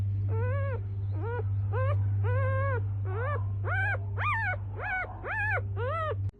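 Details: Newborn F1B Standard Goldendoodle puppies give thin, arching squeals, repeated about twice a second.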